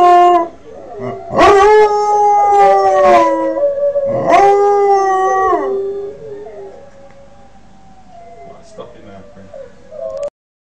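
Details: Kodiak, a 5-month-old Northern Inuit dog of the Julestar line, learning to howl: long wavering tonal howls with rich harmonics, rising then gently falling, two strong bursts early, fading into softer drawn-out whines toward the end.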